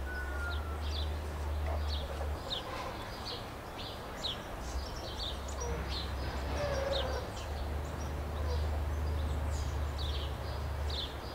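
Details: Captive meerkats vocalising at Rostock Zoo, Germany, giving rapid runs of brief high chirps, roughly three to four a second, over a constant low droning background, with a few faint lower calls mixed in.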